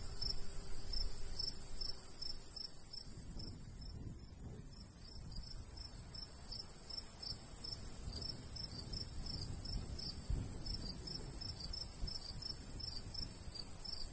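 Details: Countryside crickets in summertime near a golden wheat field, light breeze: sharp high chirps, roughly 150 a minute in a loose, uneven rhythm, ride over gusty low wind noise; a faint hum fades early.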